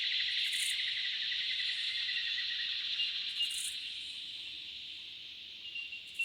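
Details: Summer cicadas calling in the Australian bush, an intense buzzing drone that slowly fades over several seconds, with faint higher bursts now and then.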